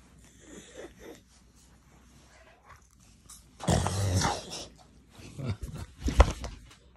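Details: Dogue de Bordeaux being tickled, letting out deep throaty grumbling bursts and snorty growls between quieter pauses, indoors.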